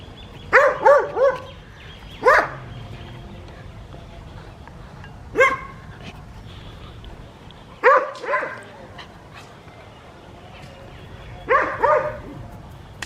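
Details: Winter morning with Adriano, a West Highland White Terrier, outdoors in a village in South Punjab, Pakistan; clustered bursts of two or three quick, yappy barks separated by quiet gaps of a few seconds, light background noise.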